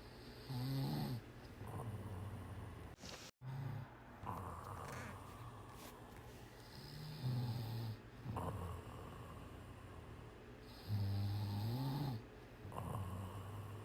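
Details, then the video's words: Deeply sleeping cat snoring in a slow rhythm, low grumbling snores recurring roughly every two to three seconds, some ending in a slight rising snort, with a soft steady hiss behind. "Cat Snoring. Snore hard."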